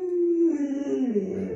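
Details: Domestic Alaskan Malamute produces a brief, clear tonal howl that holds steady and then bends downward into a warbling, lower-pitched tail while its owner chats nearby.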